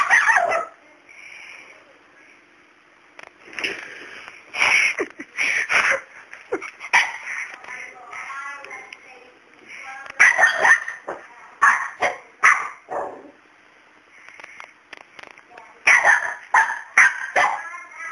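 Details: A male dog barks at a cat called Miracle, who is unafraid of him while he stays wary of her. Sharp bark bursts come in clusters, some high and yelping, mixed with a person talking indoors.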